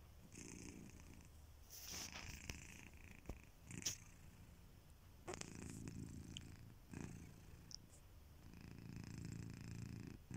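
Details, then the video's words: Asleep indoors, the domestic cat Kitiboy breathes in soft raspy snores that rise and fall over ten seconds, mixed with faint clicks and small rustles. "Kittyboy: The snoring cat"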